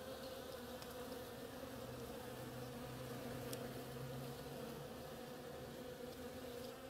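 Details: Several bees busy on an oriental creeper in flower make a continuous droning buzz; one wingbeat note briefly stands out lower in the middle, and a few faint clicks break through.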